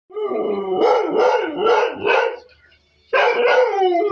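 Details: Kelpie dog howling at the TV indoors, a wavering, harmonic-rich howl in two bursts with a short silent gap, followed by a person asking "Any more?"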